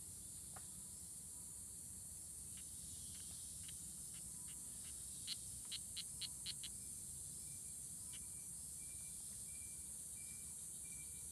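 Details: Strawberry poison dart frogs (Oophaga pumilio) fighting at La Selva Biological Station near Sarapiquí, Costa Rica, June 24, 2016; a run of short high clicking chirps, about four per second, swelling louder, over a constant high insect hiss and faint low rumble.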